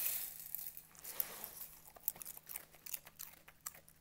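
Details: Cooper, a Schnauzer, eats very crunchy cornflakes indoors. Crinkling, rustling noise opens, then sharp, irregular crunches of kibble-like flakes between his teeth follow in quick bursts, with a low steady hum beneath.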